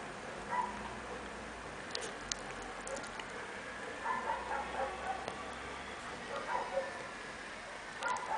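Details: Chihuahua puppies at play, giving soft, high, short squeaks and yips scattered through the recording, several close together around the middle, with faint tapping and patter sounds in the background.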